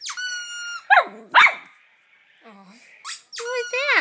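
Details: Poodle howling indoors: long, high, steady tones with strong harmonics, then sharp yelping bursts, a brief quiet gap, and a final rising, wavering howl.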